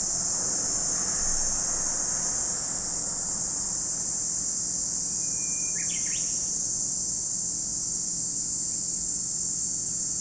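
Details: High, even cicada droning from Lake Kamo, Sado City, Niigata Prefecture, Japan, running unbroken throughout; a single thin bird whistle with a quick chirp appears around six seconds.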